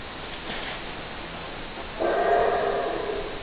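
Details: Howler monkey with a faint rough call at first, then a sudden loud, gravelly roar starting halfway through and holding to the end over background hiss.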